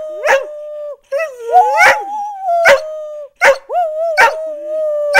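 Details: Dogs Blue and Bettina rooing in response to their mother, level sustained howls broken by short pauses, with sharp yip-like barks about once a second and a wavering second voice.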